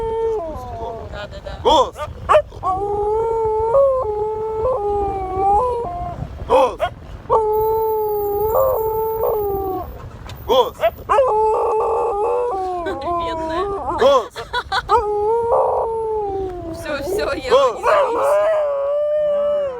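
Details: Siberian Husky howling in a car in response to a siren: long, sustained tonal wails holding a steady pitch, broken by short rises and wavering bends, with loud overlapping harmonic tones and brief bursts of noise between phrases.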